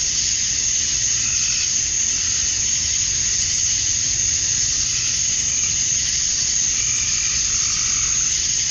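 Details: Male cicadas at summer dusk in Georgia, USA, chirping to win females; an unvarying shrill buzz dominates, with occasional soft lower tones surfacing faintly beneath the steady drone.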